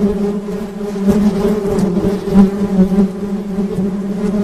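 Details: Honey bees buzzing in a steady low drone, a deep hum with a clear overtone above it, slightly wavering in loudness with a few brief pulses of stronger buzz.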